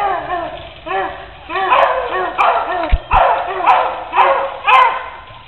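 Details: Puppies escaping a cage: high, arched yips repeat about twice a second, with brief louder yelps overlapping them and thumps near the middle.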